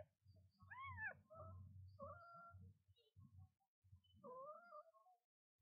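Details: Mother cat with her newborn kitten on its first day, indoors: high arched kitten mews near one kilohertz overlap lower, softer meows and a steady low rumble, with several calls spread across the clip and short pauses between them.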